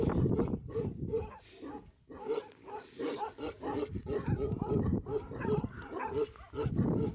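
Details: Bhote Kukur dog on a farm in Kali Pokhari village, eastern Nepal, just over 3,000 metres altitude; harsh, rapid barks in quick bursts throughout, fairly even in loudness, with faint human voices underneath.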